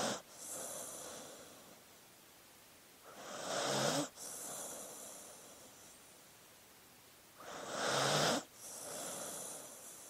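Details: Sleeping dog breathing in a quiet room: soft hissing breaths with a broad airy rush, two stronger breaths about four seconds apart, each followed by a quieter, longer exhale.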